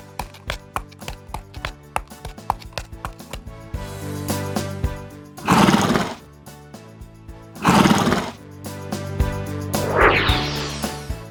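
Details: Three loud, broad whinnies from a horse, spaced about two to three seconds apart, following a stretch of rhythmic music with sharp beats that continues underneath.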